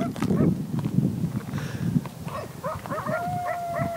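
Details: Wild coyotes heard outdoors on a bike ride and hike: people talking at first, then a run of short yipping barks leading into a long steady howl with clear overtones held to the end.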